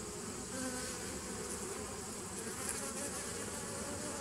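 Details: Steady droning hum of bees, 27 September 2018, low and even, with a short faint higher tone early on over a broad background hiss.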